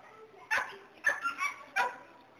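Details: Border Collie herding dog barking three times, spaced roughly half a second apart, each bark a short bright burst with a quick rise and fall.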